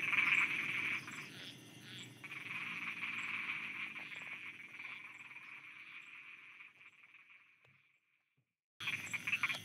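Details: Frogs croaking at night in Thailand, a dense buzzy chorus of rapid pulses that gradually weakens and dies away into near silence before abruptly resuming, with a faint high ticking repeating throughout.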